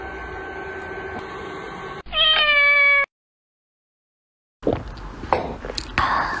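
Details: Domestic cat, described as angry, giving one drawn-out meow of about a second, steady and richly harmonic, set between stretches of low room noise, a sudden silent gap and later clattering handling sounds.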